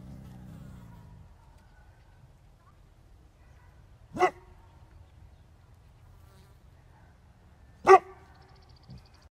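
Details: Great Pyrenees; bark; calling cows to come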